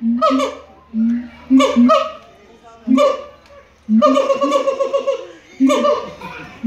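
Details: Captive siamang singing at the Los Angeles Zoo: loud, rich hooting notes, each a short rising whoop, coming in bursts about every second, with some longer runs of rapid barking hoots.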